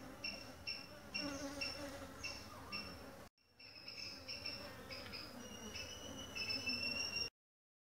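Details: Honey bees from a new colony gathering pollen and nectar at a home-made feeder; continuous buzzing with high whining tones of bees flying near, a brief dropout midway, and an abrupt end.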